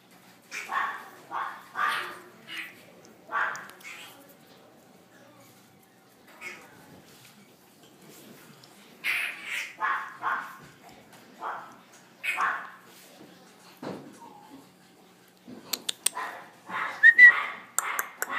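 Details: French Bulldog siblings, a brother and a sister, still growing: bursts of short, sharp barks and yelps, grouped in clusters with pauses, ending in a quicker run of clipped sounds.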